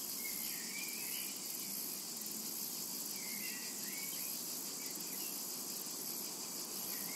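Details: Cicadas in a tranquil summer meadow: a dense, unbroken high-pitched buzz holds steady throughout, while scattered short chirping notes from small birds flicker through the middle register.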